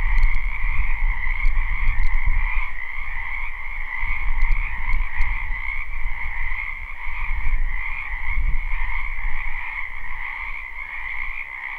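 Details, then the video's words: Frogs croaking en masse in a spring wetland, recorded live: a steady, dense trilling chorus in two stacked bands, under a heavy low rumble of wind or handling noise and a few sharp ticks. "Ambient Noise for Sleep Frogs Black Screen"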